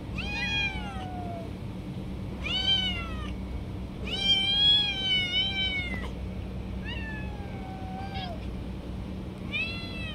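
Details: Stray cats jumping and snatching food from each other while being fed. A run of drawn-out, wavering meows, some overlapping as several cats call. Notes rise and then fall, with a steady low hum underneath.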